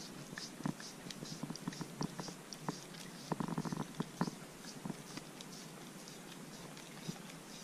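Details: Corgi licking and biting at a homemade dog-safe popsicle on a hot day: sharp wet clicks and smacks come in irregular bursts, densest in a flurry midway, over quiet indoor background.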